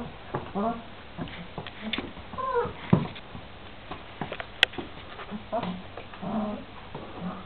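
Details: Šarplaninac puppies, 26 days old, from a litter of three males and five females, giving short, whiny yelps and squeals at irregular intervals, several voices overlapping, with soft shuffling between calls.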